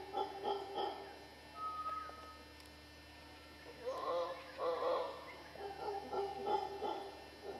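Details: Howler monkeys in Costa Rica's western dry jungle give short bursts of hoarse, pulsing roars separated by quieter stretches, with a thin steady tone and a faint whistle in the background.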